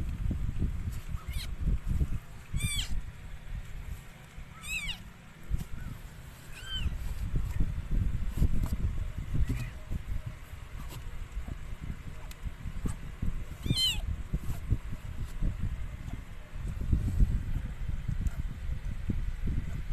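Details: Mikey, a stray rescued cat, giving birth to four kittens of the same color: short, high, harmonic mews come in scattered bursts, about five across twenty seconds, over a steady low rumbling background.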